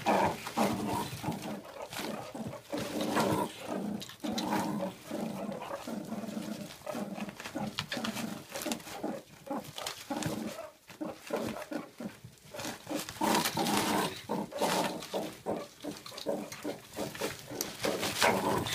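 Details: Food-aggressive adult male meerkat in a captive mob of ten, insisting on being first at the mealworm feed; long stretch of rapid, harsh pulsed growling and chattering with recurring louder bursts throughout.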